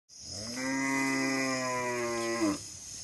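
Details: Nelore cattle giving a single long, steady moo lasting about two and a half seconds, rich and harmonic throughout, with a slight rise just before it cuts off; a thin high electrical whine runs underneath.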